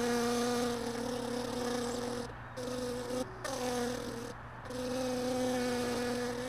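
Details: Honey bees buzzing around hive boxes left all day in a truck bed, a steady droning hum with a few brief breaks in the sound.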